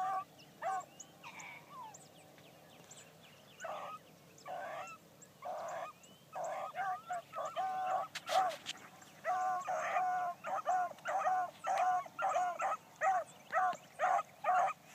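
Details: Bee, a new Blackcreek gyp hound, running a trail for the first time one morning. Distant, fairly faint barks come in a steady string of about two per second, with rural outdoor background.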